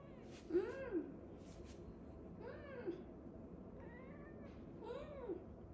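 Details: Cat making short arched meows, about four spaced roughly two seconds apart, some faint, over a quiet indoor background.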